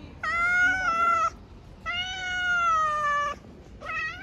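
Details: Stray street cat being given food, meowing: three long, drawn-out, clear meows, each about a second long, steady then slightly falling in pitch, separated by short pauses, with the last one cut off; otherwise a quiet background.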